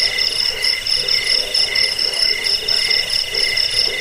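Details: A cricket's steady, piercing trill of quick high pulses, intended to scare off rats, help sleep and train birds; no break across the stretch.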